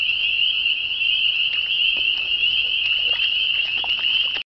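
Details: A dense chorus of countless frogs at a pond near Bottom Creek Gorge, Virginia, at dusk on a warm evening; a continuous, shrill, high-pitched ringing of overlapping calls holds steady throughout, with scattered fainter clicks and notes beneath.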